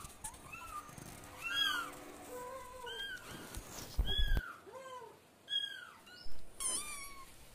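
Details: Cats and a kitten meowing in a rapid, overlapping chorus of arched and falling calls at varied pitches, with a few knocks and a sharp high squeal near the end.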